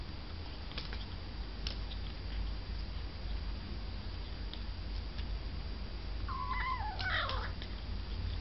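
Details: Near the end, a cat lets out one drawn-out meow that holds steady, then bends and falls away, set against a steady low hum and occasional light taps.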